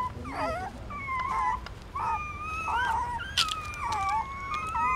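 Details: Newborn puppies feeding on their mother's milk at a pagoda in Siem Reap, Cambodia, with drawn-out wavering whines and yelps that slide in pitch and sometimes overlap, plus faint clicks.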